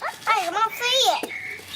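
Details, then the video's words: Several puppies at play let out a drawn, wavering whine that dips and rises in pitch across two long notes, ending with a brief click and fading tone. "Puppies start to play lots now"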